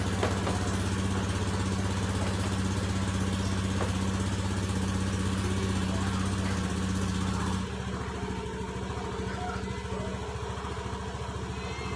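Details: Steady droning engine hum with a low idling throb dominates, dropping slightly in level partway through, and no animal voice is heard.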